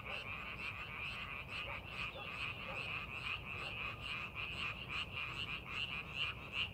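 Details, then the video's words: In a paddy field readied for farming, frogs croak together in a thick, irregular chorus of quick repeated notes, with faint low rumbling beneath. "농사준비하는 논에서 개구리 울음소리"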